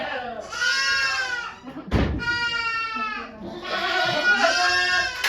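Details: Goat named Okayu at Yoshigake farm giving birth to two kids on 3 May 2023, with volunteers watching. Three long, strongly harmonic, wavering bleats, one after another, with a sharp knock between the first two and people talking quietly around them.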